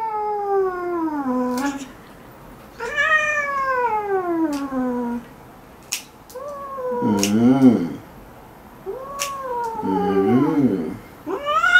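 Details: Pet cat meowing indoors while having its claws trimmed: long, drawn-out meows that slide downward in pitch, repeated with short pauses, plus lower wavering voice-like sounds near the end.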